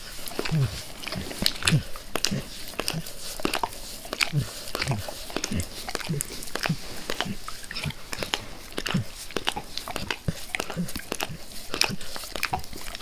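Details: Indoors, a dog called Max keeps licking his owner's face, his zeal calming somewhat as he is petted; steady moist slurps and clicks with brief low snuffling sounds.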